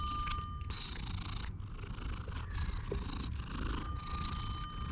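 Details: Low, unbroken purring from a stray cat being petted on someone's lap on a park bench, captured with a GoPro; a faint steady high tone and soft rustling sit in the background.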